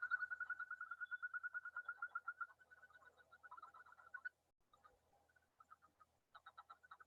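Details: A male Yosemite toad gives a fast, musical trill, a rapid string of clear pulses, its mating call in spring in high-country side watersheds; hundreds call together, loud above Pacific chorus frogs and bird-like.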